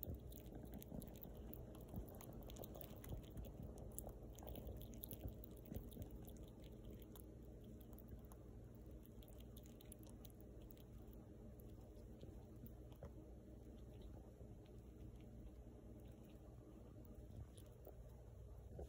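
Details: A young female rescued fox squirrel eats, with rapid, irregular crunching and gnawing clicks close up indoors.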